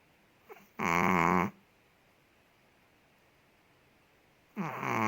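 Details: Ted, a large Chihuahua in Indonesia, snores in his sleep: a loud rattling snore lasting under a second, a quiet pause of three seconds, then the next rasping snore begins.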